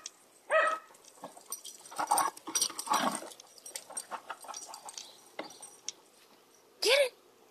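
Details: A corgi herding a basketball gives two sharp, loud barks, one at the start and one at the end, with its owner talking in between.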